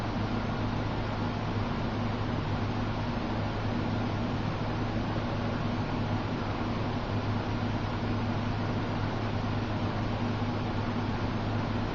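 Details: Constant broadband hum like a fan or motor fills the room with no animal voice.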